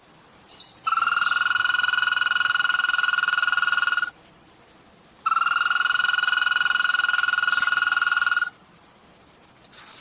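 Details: American toad, a male giving its mating call played back during a frog identification lesson: two long, steady, high musical trills, each lasting about three seconds, separated by a short pause.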